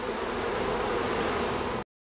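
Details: Honey bees at a hive near Clonakilty, West Cork, in high summer, wings fanning the hive to keep it cool and ventilated: a dense, steady, even buzzing hum that fills the clip, then cuts off abruptly.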